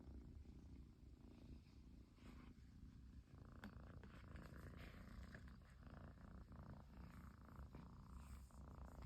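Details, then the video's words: Persian kitten whose purring will not stop after its owner came back home: a close, steady, low rhythmic rumble throughout, joined by light rustling and a faint click midway. "飼い主がやっと帰ってきてぐる音が止まらない子猫🐱purling kitty"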